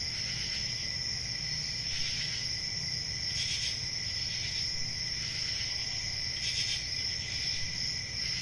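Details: Summer-night crickets in the countryside chirping as a continuous high-pitched ringing drone, joined by brief louder rasping pulses about every one to two seconds, with soft low background noise.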